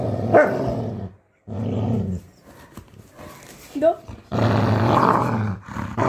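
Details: Labrador retriever; growl; anger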